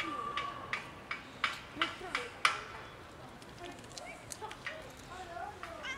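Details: Two cats that live together, about to fight over food in the cold of winter: brief wavering cat vocal tones come through a run of sharp clicking and tapping sounds, much like eating noises, with a few soft calls near the end.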